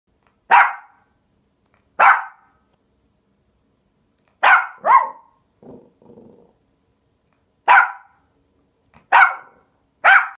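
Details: Five-month-old Havanese puppy giving sharp, single yappy barks spaced a second or more apart, seven in all, with a brief low growl midway; quiet background.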